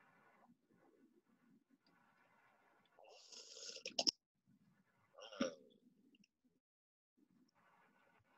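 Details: A killer whale vocalizes with a harsh buzzing burst and a falling pulsed call, while sharp echolocation clicks probe what lies ahead of it.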